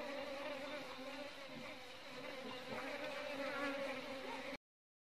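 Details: Asian honey bees (Apis cerana indica) from a beekeeping scene: a dense, continuous humming drone with strong low and mid overtones for about four and a half seconds, then silence.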